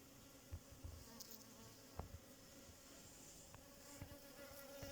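A bee gives a steady, low droning buzz, with a few soft thumps and knocks behind it.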